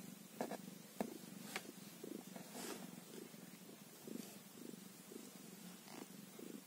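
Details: Kitten only one day old, giving a continuous low purr in regular throbbing pulses, with a few sharp clicks and bumps near the start over a quiet room.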